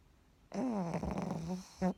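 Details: Sleeping pug snoring while curled inside a worn blanket: one long, buzzy, rattling snore of over a second on a low steady drone, followed by a short second snort, in a quiet room.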